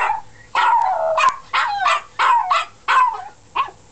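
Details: Household dogs give a series of short, yelping howl notes, about one every half second, each sliding downward, with brief quiet gaps between them.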